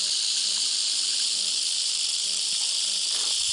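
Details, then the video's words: A steady, unbroken high buzzing hiss comes from an attacking rattlesnake's rattle, holding the same loudness throughout with faint low ticks in the background. "Som da Cobra Cascavel atacando Som do chocalho Rattlesnake rattle sound"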